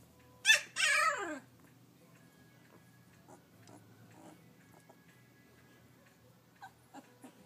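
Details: Kashi, a Labrador Retriever puppy, practising her barking: two loud, high, yelping barks with falling harmonics at the start, then quiet room noise with faint soft taps and a low hum.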